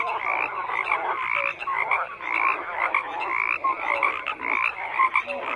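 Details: A thick chorus of croaking frogs, many voices overlapping in raspy pulses and bright trills, with brief tonal chirps cutting through and the level rising and falling every second or so.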